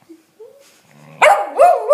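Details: Monty, a dog, barks wildly while other animals try to greet him. Soft faint squeaks come first, then two loud, harsh, ringing barks close together near the end.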